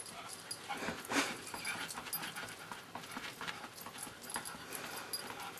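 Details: A pet Pekingese dog on a red fluffy pillow indoors, panting in quick, rhythmic, breathy bursts with a louder huff near the start and a few soft whimpery notes.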